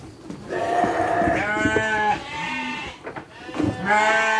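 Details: Farm sheep being given dry feed alongside children: long, wavering, nasal bleats, one after another, with children's voices and chatter close by.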